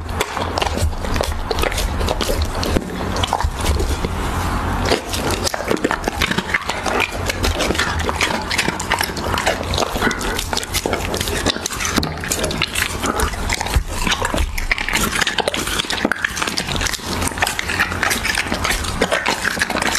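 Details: A Siberian Husky feeds on raw beef in an ASMR-style recording: twenty seconds of continuous crisp chewing, gnawing and wet smacking, steady and close, above a low hum.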